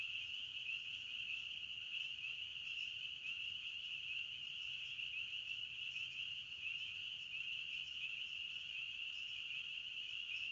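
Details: A chorus of crickets chirping in a forest trills steadily in a high, unbroken shimmer.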